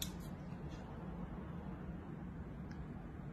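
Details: Only a low indoor hum and faint background noise are heard, with no animal sounds.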